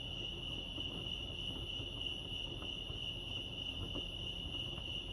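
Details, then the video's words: A continuous, even, high-pitched cricket trill at Lake Arrowhead, California, with no pauses, over a faint low background hum. "Serenity sounds crickets chirping lake arrowhead"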